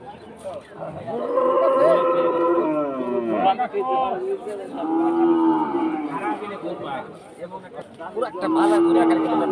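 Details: Cattle at the Batajor cattle market in Bhaluka, Mymensingh, giving three long, drawn-out moos: deep, harmonic and wavering, each lasting one to two seconds, with men talking and crowd chatter around them.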